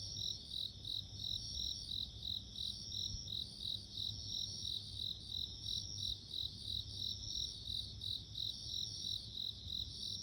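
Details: Steady rhythmic ringing from bell crickets, natural insect sounds: rapid bright pulses layered with a continuous high tone, over a quiet low rumble throughout.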